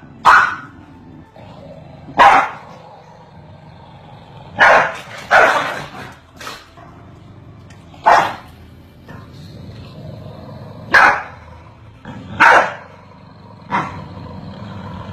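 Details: Continuous bark exchange between Corgis, about ten loud, sharp barks spaced one to two seconds apart, some in close pairs, over a faint background hum.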